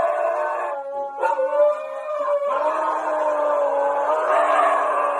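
A young Rottweiler lets out a sustained, quavering howl that holds a fairly even pitch. There is a brief break in the middle, then the howl resumes, slightly rougher and rising at the end.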